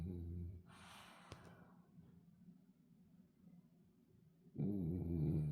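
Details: French Bulldog asleep, giving a low, throaty snore at the start, then soft breathing and a brief rustle, before another loud, vibrating snore at the end.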